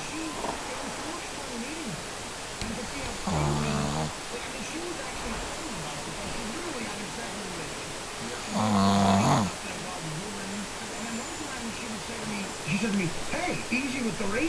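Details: A Shih Tzu asleep and snoring: two rattling, harmonic snores about five seconds apart, with soft voices talking throughout and a steady hiss underneath.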